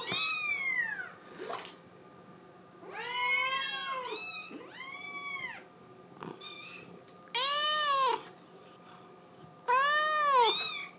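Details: ['Crying female Scottish Fold kitten, blue tabby, wanting to go outside: roughly eight plaintive meows, some long and wavering, some short and sharp, repeated irregularly about every second or two indoors.']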